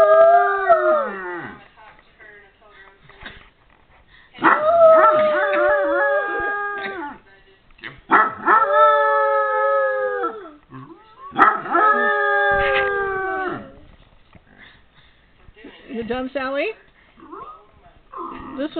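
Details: A Basset Hound lets out long, wavering bays and howls in several drawn-out bursts, reacting to a dog barking in a video, with a person speaking.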